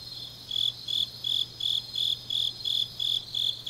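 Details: Grass insects on a deep autumn night in Changnyeong, Gyeongnam, South Korea: a high, bright chirp pulsing steadily about three times a second, with a softer continuous insect shimmer above and a faint low hum beneath.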